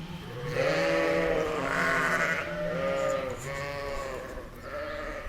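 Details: Sheep, ewe and lamb in a meadow, bleating repeatedly: several trembling, arched cries in a row, one higher and brighter, with little pause between them.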